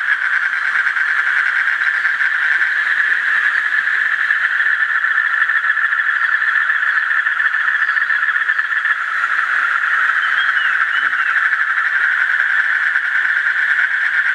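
Asian common toads fill the air with a steady, dense trilling chorus pitched in the middle range.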